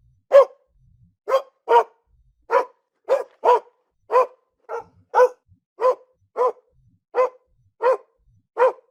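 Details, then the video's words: Real dog barking, recorded indoors at home: a steady series of about fourteen short, clean barks, each sharp and single, spaced roughly half a second to a second apart with silence between. "SOM DE CACHORRO"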